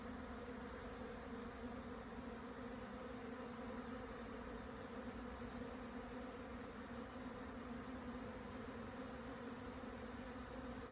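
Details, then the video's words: Japanese honey bee swarm at 12:50 on 17 June 2024, 1054 m up on the southern Yatsugatake plateau, Hokuto, Yamanashi, Japan, just after strong noon winds eased: a dense, steady low droning hum that continues unbroken throughout. "【日本ミツバチ】 のお引越し〜◆ 分蜂"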